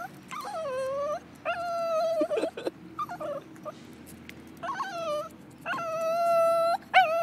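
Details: Lhasa Apso named Bebe on a walk, freaking out on seeing a squirrel: high whining cries, some level and some dipping, in bursts of about a second, mixed with short yips and traffic-like background hum.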